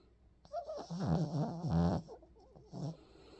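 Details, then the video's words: A Pomeranian dog sleeping and snoring: a string of rough, rattling low snores, the loudest two back to back mid-clip, with a softer snore near the end and faint wheezy breaths between. "코골면서 자는 아들 | 코고는 포메리안"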